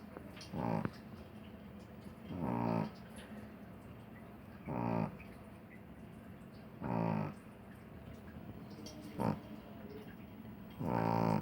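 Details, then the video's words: Small sleeping dog snoring, each rough, harmonic-rich snore lasting under half a second and recurring about every two seconds over a quiet, steady background. "Perrito roncando"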